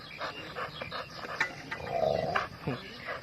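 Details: A dog barks loudly: a drawn-out whining tone is followed by a few short, sharp barks, while people talk throughout.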